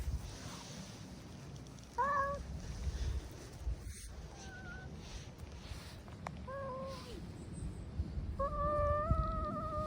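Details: Stray brown tabby cat giving drawn-out, tonal meowing yowls in short bursts around two, four and six seconds, then one long sustained wavering yowl near the end, over a low rumbling outdoor background.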